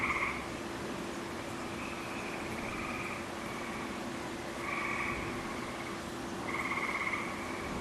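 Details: Chorus of gray tree frogs inside a wolf exhibit, early summer 2010, following rains; several short buzzy trills rise and fade at uneven intervals against a constant low hum and hiss.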